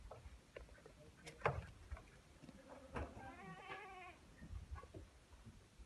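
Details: A Saanen goat at a goat farm in Pune gives a single wavering, nasal bleat amid scattered knocks and farmyard clatter.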